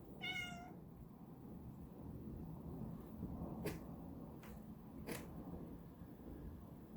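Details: Domestic cat, two and a half years old, investigating strange noises indoors; one short clear meow at the start, then quiet room hum with a few faint clicks.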